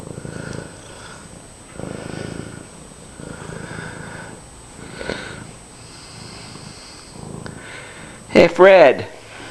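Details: Friendly pet cat wandering around and purring loudly indoors: low rumbling purr in swelling bursts roughly every one and a half seconds, with people talking softly and a sharp loud burst of sound near the end.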